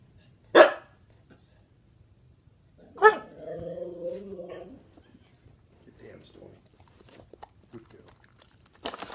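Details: Husky singing on command while performing tricks, one of several trained huskies: a sharp yelp, then a wavering howl-like vocalization of about two seconds with stacked harmonics, later faint murmurs and a burst of noise.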